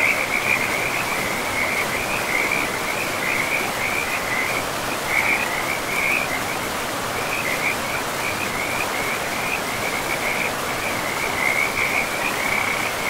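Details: Frogs by a river in a pristine forest with moss-covered land, giving short, high, trilling calls in quick runs across the whole stretch, over a steady broadband hiss of flowing water.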